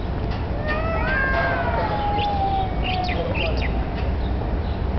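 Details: Street cats, one black, apparently challenging each other for territory or mating; drawn-out wavering yowls with rich harmonics, falling in pitch over about two seconds, then scattered short clicks above steady low rumbling background noise.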